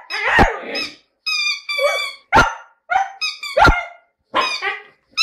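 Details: Lyrical singing from Jasmine the Siberian Husky, mixing sharp bark-like yelps with smoother, ringing howl-like notes, about seven separate outbursts spaced across a few seconds.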